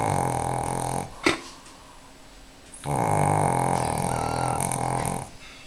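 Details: Four-year-old Pekingese napping indoors on a Sunday afternoon, producing rough, buzzy snoring breaths lasting one to two seconds, separated by a quieter pause with a brief sharp click.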